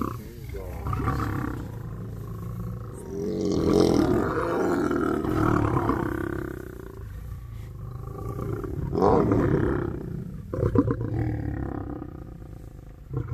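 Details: Lions of a pride gathered at their hangout on safari in Kenya, recorded up close; harsh, low, rasping snarls and growls rise and fall in long overlapping bursts, swelling around four and nine seconds, with faint human voices beneath.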